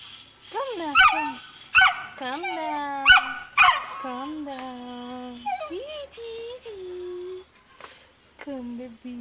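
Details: Saint Bernard puppy aged two months, scared of descending the stairs, lets out sharp whines and squeals mixed with a person's coaxing voice calling it down, the cries sliding from high to lower pitch.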